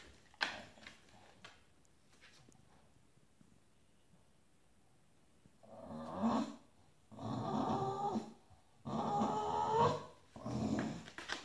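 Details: Stubborn Bulldog demanding space on a shared bed: after a near-silent stretch, four harsh grumbling growl bursts follow one another in roughly one-second pulses, indoors.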